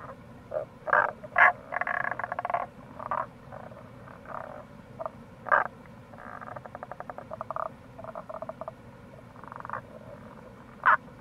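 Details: Tago's brown frogs at a gorge on the Kamo River, Itoshima, Fukuoka, Japan, in April. Rapid rattling trains of pulses are mixed with sharp single croaks in quick succession, over a steady wash of running water.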